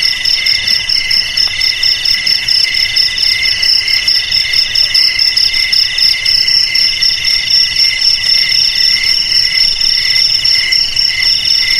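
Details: Crickets in a dense, unbroken chorus of shrill trills stacked at several high pitches, each band rapidly pulsing, over a faint steady background hiss.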